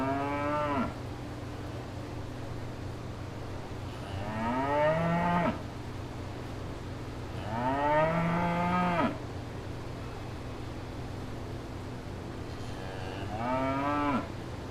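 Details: Several cows in a field in Wales moo in turn: long, rich, nasal calls that swell and then sag in pitch, each lasting over a second, over a steady low hum.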